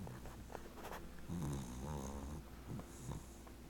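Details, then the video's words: Sleeping 18-week-old American Cocker Spaniel puppy named Chloe, dreaming, gives low rattling snores indoors; a rough, wavering breath swells in the middle, followed by shorter snuffly puffs. "Puppy Snoring"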